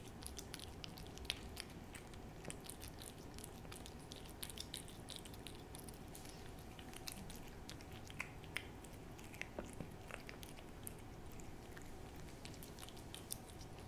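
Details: Hodu, a cat with a hearty appetite, eating a Ciao Churu treat for an ASMR recording: dense wet clicks and soft smacking licks pattering irregularly throughout, over a low steady room hum.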